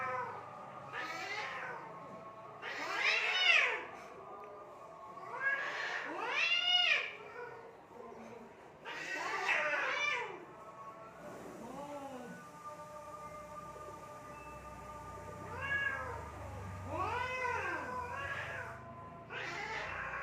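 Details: Fighting cats in Assam, India: repeated arching yowls and sharp screeches in bursts roughly every few seconds, loudest early on, with long wavering wails between them and a low hum.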